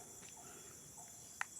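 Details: At about 8:30 am on a hot, sunny morning, forest by the village of Kampung Ulu Tuah carries a faint, steady, high-pitched cricket drone; hornbills and other birds are calling in the area. A single sharp click breaks the drone near the end.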